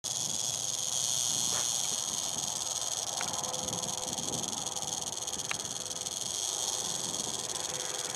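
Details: Eastern diamondback rattlesnake shaking its rattle in warning as people approached, filmed in 2009; a steady, dry, hissing buzz runs without a break, with a few faint clicks.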